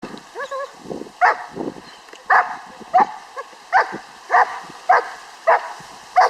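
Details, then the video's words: Six-month-old Czech German Shepherd in bite work training, a series of sharp barks repeated roughly every half second, with a few softer whines at the start. "Ammo Bite Work, German Shepherd"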